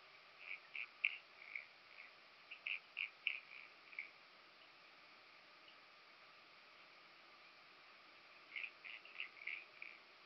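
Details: Italian locust recorded on Pag, Croatia, on 2 September 2019: soft, dry, scratchy pulses grouped into short bursts, one bout early and another after a long pause, very quiet over a faint hiss.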